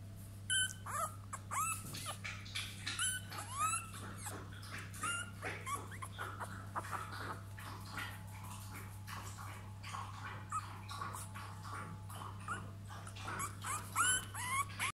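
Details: French Bulldog puppies, three weeks old, giving many short high squeaky whines and yelps, some rising then falling, overlapping in quick succession, over a steady low electrical hum.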